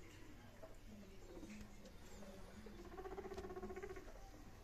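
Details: A guinea pig meeting two other guinea pigs makes quiet, low, buzzy calls, then a sustained droning whine holding an even pitch for about a second, over soft chatter and light rustling.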